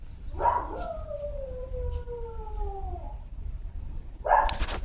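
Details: Left by itself, a domestic dog howls for its absent owner, giving a single drawn-out, gently descending wail lasting over two seconds, followed by a brief sharp noise near the end.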